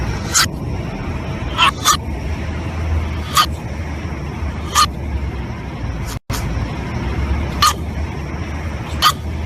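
A French Bulldog puppy yaps in brief, high, snappy barks, spaced irregularly a second or two apart, as it throws a tantrum. A steady low rumble hums underneath throughout.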